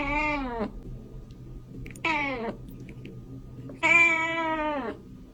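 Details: Kitten calling to attract cats with three separate meows about two seconds apart. Each starts high and slides downward, and the last is the longest and loudest.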